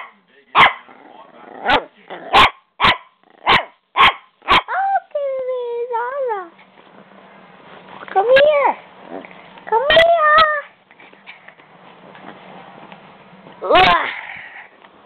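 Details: Little puppy Buster freaking out at home, opening with six rapid sharp barks, then drawn-out falling whines and squeaky yelps, with a person speaking softly in the background.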